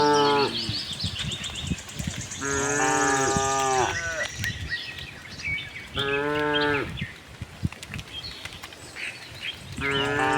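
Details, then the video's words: Herd of tame cows on a cattle farm, roaming for green grass, giving loud harmonic moos roughly every two to three seconds, each about a second long, with a high bird trill and scattered chirps behind. "cute tame herd of cows - looking for grass, cow mooing sound"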